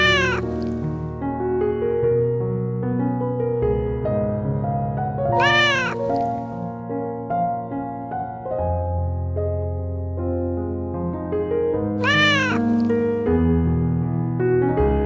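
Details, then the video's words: Domestic cat meowing three times, each call a loud drawn-out wail that rises and then falls, spaced about six seconds apart, over continuous instrumental music with steady low tones. "Sounds of wild and farm animals: rhino, camel, starling, cat, sheep"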